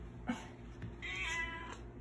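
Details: Domestic cat begging for food, following its owner around: a short tonal meow, with a brief sharp sound just before it, over a steady background hum.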